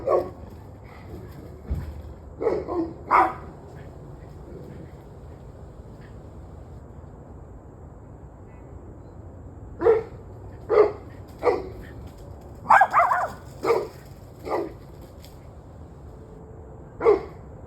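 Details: Dogs barking at 7:06 pm on 21 November 2023: irregular bursts of sharp barks, some in quick pairs, with a quiet gap of several seconds midway, over a steady low hum.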